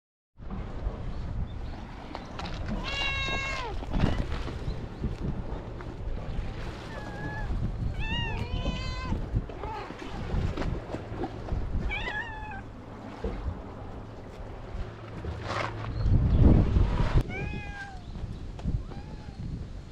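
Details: Stray cats on a cat island, filmed with a GoPro HERO8 Black, giving several drawn-out, harmonic meows spaced a few seconds apart. People talk and a low engine or boat rumble runs underneath.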